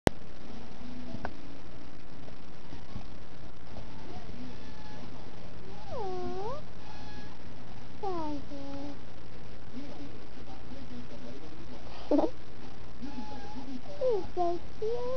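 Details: Pet domestic cat indoors giving several drawn-out meows, each bending down then up in pitch, spaced a couple of seconds apart over a steady low hum.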